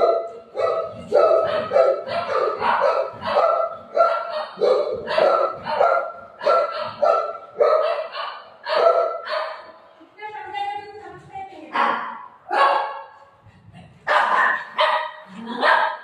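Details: Pet dog at home barking in quick, uneven bursts, roughly two barks a second across most of the stretch, with a short pause mid-way before the barking resumes; a few human voices are heard faintly underneath.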